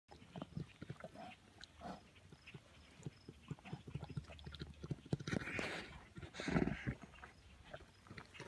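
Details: Bears, orphaned wildlife, wrestling and giving a deep, throaty purr of rapid low pulses that rise and fall unevenly, with rough huffing bursts and scuffling growing louder toward the end.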